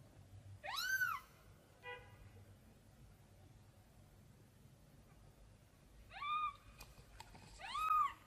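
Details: A tiny kitten searching for its mom cries out in arched, rising-falling meows: one loud call early, a short faint squeak, then two more cries near the end, with a faint background rumble.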